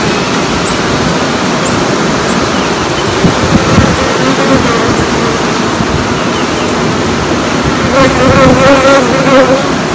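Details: Honey bees in a colony set up for queen rearing; a loud, continuous buzzing hum of many bees, with a steadier rising drone toward the end.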